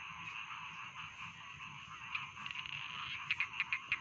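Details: Rice field frogs in a dense chorus: a steady, shimmering high-pitched croaking wash, with a run of five sharp, evenly spaced croaks standing out near the end and a low rumble underneath.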